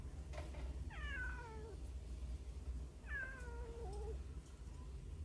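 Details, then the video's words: Hungry baby street cats calling from within a hole, phone recording; two drawn-out, wavering meows that drop in pitch, about two seconds apart, over low background rumble and faint knocks. "구멍 안에서 나는 배고픈 아기 고양이 울음소리 몇 마리나 있을까? How many hungry baby cats cries in the hole?"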